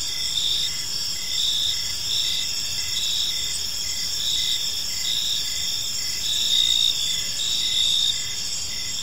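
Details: Crickets in a serene park as evening falls, their gentle chirping a dense high-pitched chorus with repeated short pulses and a slight swell in loudness near the end.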